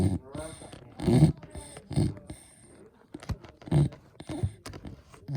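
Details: Irregular snoring from a sleeping Beagle: several low, raspy rumbles close together, then softer, broken snuffling breaths and light clicks.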